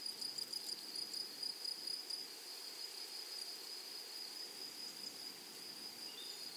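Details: Grasshoppers in a flowery meadow: a high, thin buzzing band with a fainter overtone above it. The buzz pulses quickly for about two seconds, then settles into a steady drone.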